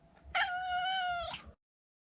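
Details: Single sustained meow from a neutered male Maine Coon named Maro, clear and even-pitched for about a second with a brief upward flick at the end, in a quiet indoor setting.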